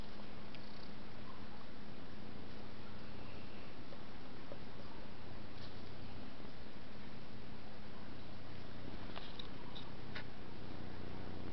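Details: Skooma, a sleeping pet cat, purring indoors in a small room; a low, steady rumbling purr runs throughout with even low bands, while faint scattered ticks and clicks sound now and then.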